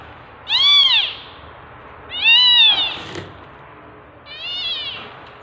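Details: Tabby mother cat in labour while giving birth, three loud drawn-out meows about two seconds apart, each rising then falling with strong harmonics, over a quiet indoor background.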